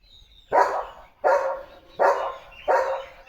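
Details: Pet German Shepherd Leo giving four strong, harsh barks evenly spaced under a second apart, around the arrival of a parcel for him, with faint low room noise between barks.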